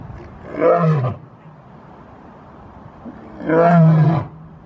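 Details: Dominant lion roar: two deep, resonant roars about three seconds apart, each lasting around half a second to a second, rising then dropping in pitch, with quiet low background between.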